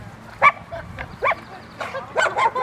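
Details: Rottweilers Freya vh Odoms, Poncho and Peaches in obedience training with distraction at Victoria Rottweiler Club, May 2, 2021: four sharp, broadband barks spaced unevenly, the last two close together, over a low background murmur.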